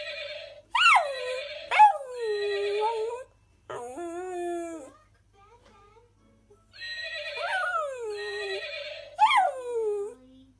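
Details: Puppy-like howling. Sharp yelps rise steeply, then sag into wavering wails, coming in bursts separated by quiet gaps.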